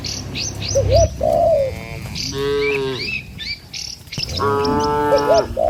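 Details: Cattle moving in a herd along a rural road between rice fields toward the pen. Two long, resonant moos separated by a pause, with short upward calls, a soft coo and scattered bird chirps.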